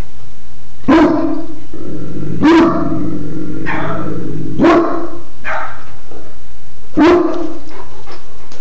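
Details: Pet dog recorded on a phone, giving four loud, sharp single barks spaced about two seconds apart, with a low rumbling background between them.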